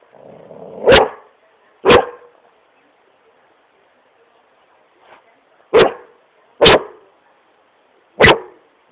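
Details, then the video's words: Great Pyrenees named Smokey playing on his couch in his room, barking in loud single woofs spaced about a second apart, a pause, then three more evenly spaced barks. "Great Pyrenees smokey barking at couch"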